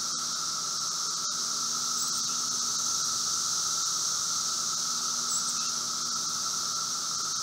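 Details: Brood V 17-year Magicicada cicadas after emerging in eastern Ohio, recorded outside a Logan home, 4 June 2016, 3:10 p.m.: constant high buzzing roar of a large group, with a steady lower tone and occasional faint ticks.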